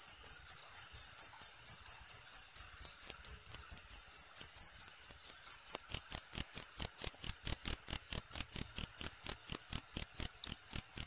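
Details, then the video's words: Loud, constant cricket chirping meant for songbird mastering and therapy: piercing high pulses in a rapid, steady train, with soft clicking noises joining in the second half. "Suara Jangkrik Alami Buat Terapi Burung"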